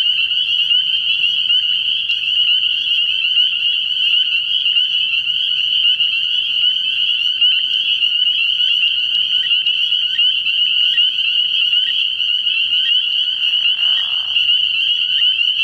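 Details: Spring peepers chorusing at a frog pond on an early-season night: an intense, unbroken high-pitched ringing of many overlapping peeps, with a brief soft whoosh late in the recording.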